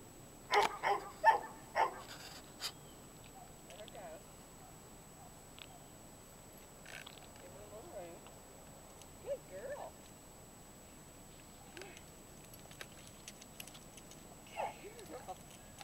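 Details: Great Dane named Nikki, a dog up for adoption, playing with another dog called Duke; a cluster of sharp, loud barks in the first two seconds, then softer whining, yelping vocal sounds spread through the rest, with faint human voices.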